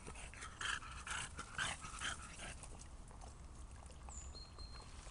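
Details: A French Bulldog almost 2 years old, playing in a big rainwater puddle on a hot summer day after a heavy thunderstorm, gives a quick run of short, whiny yelps and snorty whimpers.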